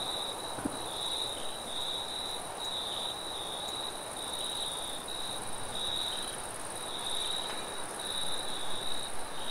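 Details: Crickets calling at night in a forest, high chirping trills in repeated short bursts, with wind rushing beneath and a single soft knock early on.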